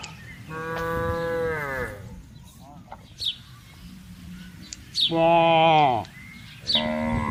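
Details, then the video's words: Cows roaming a wide green rural pasture alongside buffaloes; three loud, rich moos, the first about one and a half seconds long and the last two close together, with brief chirps from birds in the pauses. "Cows and Buffaloes Grazing Freely in a Wide Pasture | Funny Moo Sounds"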